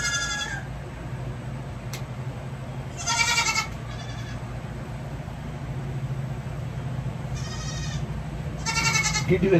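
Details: Young goat kids bleating while their hooves are trimmed: four short, buzzy, harmonic bleats, each about half a second long, separated by pauses of a few seconds, over a steady low hum.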